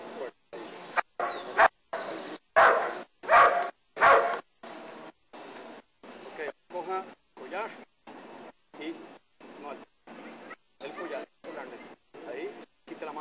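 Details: German Shepherd in protection training in Costa Rica gives a string of loud harsh barks, strongest early, then steady rapid barking about once or twice per second with some rough, strained notes.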